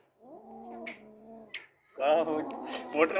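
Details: A cat, one of Kaallu and Motu, with a freshly caught big mouse, gives a steady low yowl for over a second with two sharp clicks. Loud human speech then takes over.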